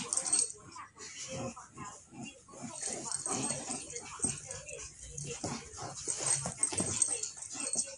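A pug gives snuffly, wheezing whimpers and short vocal bursts while a person talks nearby.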